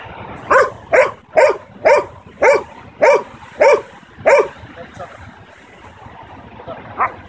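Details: Young Belgian Malinois, nine months old, barking on command during training: eight loud, evenly spaced barks roughly every half second, then near quiet with one last softer bark near the end.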